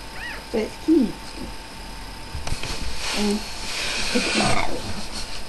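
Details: Newborn puppies from Miley's litter of five, three males and two females, born the night before: a few high, thin squeaky whimpers with arching pitch in the first second, followed by a woman talking softly indoors.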